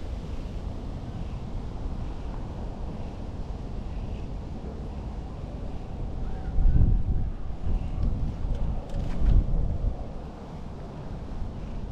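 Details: Heavy wind buffeting the microphone dominates outdoors, with a few brief handling thumps and no animal voice.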